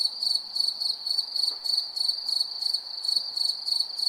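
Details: Cricket calling at night, a shrill high trill broken into quick regular pulses about three per second, over faint low background rustle.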